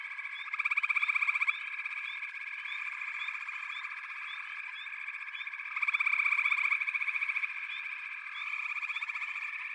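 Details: Frog chorus from a backwater: a dense, continuous bed of pulsed, rattling trills, with two loud surges of rapid pulses near the start and middle, a third rising at the end, and faint short upslurred chirps throughout.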